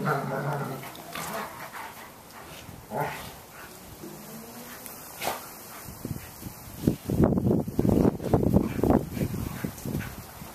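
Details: Several dogs, including German Shepherds, an Australian Shepherd and Basset Hound puppies, playing and chasing one another indoors; low rough growls and a run of gruff, rapid play barks fill the last four seconds, with human voices earlier.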